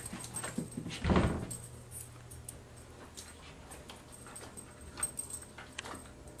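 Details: A female Corgi gives soft whimpers and a short yip amid scattered thumps and knocks while playing with her soccer ball.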